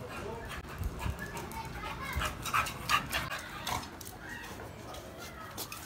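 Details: Dog named Black, stirred up by the presence of another dog, pants rapidly at close range, about two to three breaths a second, with a few short whimpers and a man's voice calling him.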